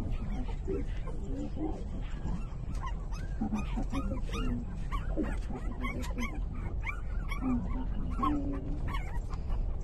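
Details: Three-day-old puppies nursing from their mother give many short, arched, high squeaks and whines, often several overlapping, over a steady low rumbling background.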